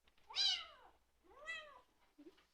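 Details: Bengal kitten eating dinner and making appreciative noises, two high, arching meows about a second apart, the first louder and brighter, in a quiet indoor room.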